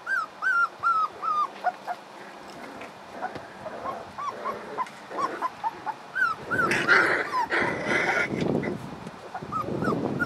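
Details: Young puppies, playing and hungry, whimpering over and over: thin, high whines, each bending up and then down, come in a quick series of about two or three a second, then grow busier and mixed with rustling and scuffling as the litter moves.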